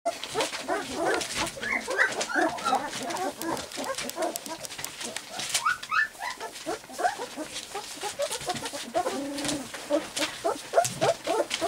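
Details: Several 3-week-old white English cream golden retriever puppies, walking and playing while trying out their barks: a busy jumble of high, squeaky yips and short whines overlapping, with scattered thumps and handling noises.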